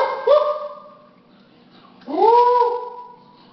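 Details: Male Basenji dog at home in Austin, Texas, during his nightly ritual of getting a treat: two drawn-out tonal yodel-like calls, each swooping up and then holding a steady, clear pitch.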